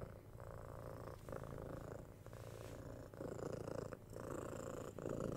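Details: Six-month-old kitten Tora rumbling contentedly while being cuddled and scratched, binaural 3Dio recording. A quiet, even purr rises and falls with her breathing, growing slightly louder toward the end, with soft handling noises.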